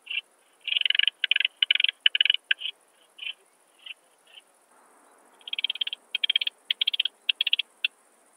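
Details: Barbitistes obtusus at Brixen, Italy, 11 September 2022, picked up with an ultrasound detector: two bursts of fast rasping chirp groups separated by a few isolated quieter chirps.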